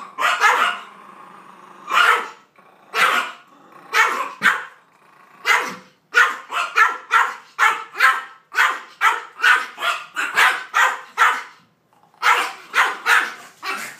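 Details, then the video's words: Irritated Maltese called Peyton Manning confronting a 3-foot cardboard cutout of two dogs; scattered barks at first, then a fast unbroken volley of sharp yaps, a brief gap, and more barking. "Maltese named Peyton Manning in a bad mood"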